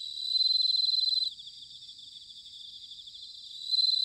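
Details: Bell cricket singing in autumn in Sanuki, Chiba, Japan: a loud, bright, pulsed ringing trill for about a second, dropping away, then returning at the end, over a steady high chorus of other insects.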